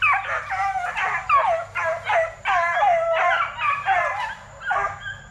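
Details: Kennel-raised Plott Tan pups, a cross of Plott hound and black and tan coonhound, between 8 weeks and 5 months old: rapid overlapping yips slide into short wavering howls, voices crowding together with barely a break.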